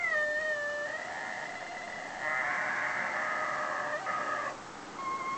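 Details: Whippet named Hallie, a foster dog left alone at home while its carer went shopping, giving long drawn-out howls that hold steady then step up in pitch, ending in shorter wavering notes.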